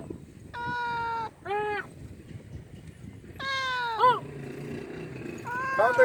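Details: A big male domestic cat meows loudly and insistently, begging for food. Each meow is a clear, tonal wail, some bending down in pitch, with short pauses, over a low background murmur.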